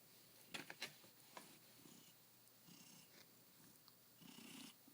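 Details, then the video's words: Dancer, a cat only a few hours into his new home and happy at his own window sill, purring softly indoors; low rumbling broken by a few sharp clicks and rustles. "Dancer is Still Purring"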